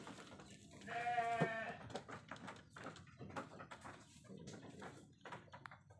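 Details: Penned sheep giving a brief, faint wavering bleat of about half a second, set among clicks, knocks and rustling in the shed.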